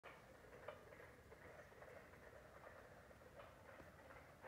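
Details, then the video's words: Carpenter frogs in South Carolina give sharp, knocking double notes like hammer blows, repeated at uneven intervals. "Carpenter Frog Sound"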